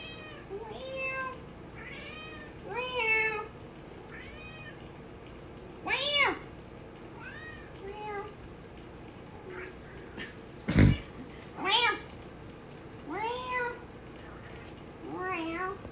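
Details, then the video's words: Maine Coon cat Stella meowing in a sing-along with her owner indoors: a steady run of about a dozen arched, harmonic meows, some drawn out and some clipped, spaced roughly one to two seconds apart, with a sharp knock near the end. "I meowed you so much! Funny Maine coon cat short"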